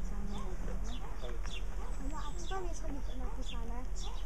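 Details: Several meerkats, Suricata suricatta, calling fast: clipped arched chirps repeated a few times per second, overlapping soft peeps, set against a steady low background drone.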